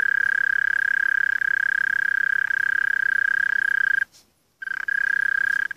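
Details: Continuous mole cricket trill: a loud, even, rapidly pulsed buzzing note held at a single pitch, broken by one half-second silence near the end before resuming.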